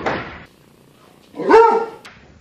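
A short, rough thump comes first, then one slowed Basset-Beagle bark. At half speed the bark turns into a long, low, falling howl-like tone with a hoarse edge.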